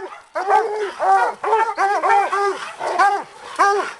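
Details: Bluetick and walker coonhounds working a raccoon held in a hanging cage, giving loud, hoarse, arching bawls in quick overlapping bursts, several dogs calling at once with roughly two cries per second.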